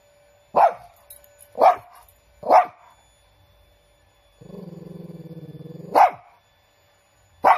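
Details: A big Shih Tzu named Chiro gives three spaced, sharp barks, then a drawn-out low humming growl lasting over a second that ends in another bark. A final bark is cut off at the end.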